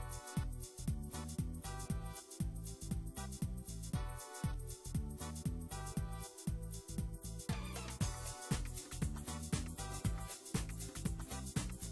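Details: Upbeat funk-style music with a steady beat and bright instrumental layers fills the recording.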